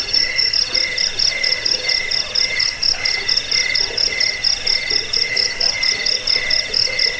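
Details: Crickets chirping, shared as a rat-repelling, sleep-inducing sound also used for training birds: dense overlapping high trills beneath a regular beat of short chirps, continuous and insistent throughout.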